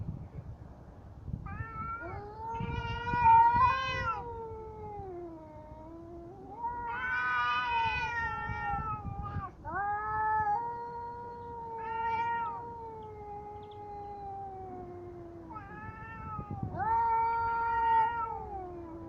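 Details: Cats in a fight yowl in long, drawn-out wailing cries. The cries waver, rise and then sag slowly. Several separate howls run for two to four seconds each, with short gaps between them.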